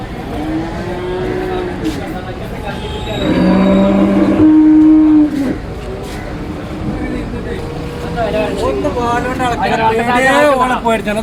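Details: At a busy market where a water buffalo calf is sold, a short deep moo rises into a level, held note around the middle, followed by men talking over general crowd and traffic noise.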